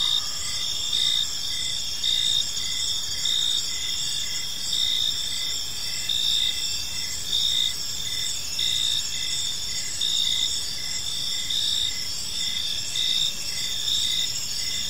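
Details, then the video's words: Evening chorus of crickets in a park, with several continuous high-pitched ringing tones and a regular beat of brief chirps about once a second, backed by soft low ambient noise throughout. "Cricket Sounds in a Peaceful Park"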